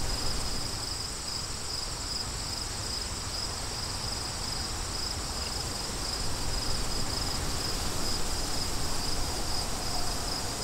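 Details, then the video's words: Crickets chirping as background sound for studying, a steady high pulsed trill repeating about four times per second, set against a constant low roar of wind. "Crickets & Wind"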